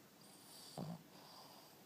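A Boston Terrier gives a single short, low snore that drops in pitch over a faint steady hum.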